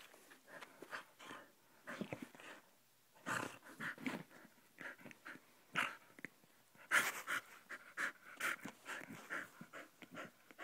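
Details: Dog Molly playing in a basement, panting in quick breathy bursts that come in irregular clusters, with a few louder rasping puffs, and light shuffling and knocks in the room.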